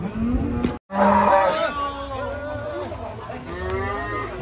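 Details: Black cow among raging, angry cattle: loud, droning moos that waver slightly in pitch, broken by a brief gap, then continuing as long bellows, with people talking nearby.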